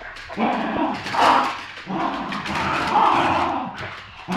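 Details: Two dogs, a poodle and a terrier, play tug of war over a new toy; low, rough growling swells in long uneven bursts with snuffling breaths between.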